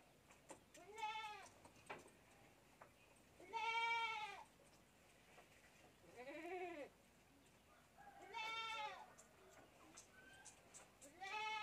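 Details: Young goat kid drinking milk from a bottle, giving repeated high, wavering bleats with rich harmonics, four separate cries spaced a few seconds apart, faint clicks and rustling between them.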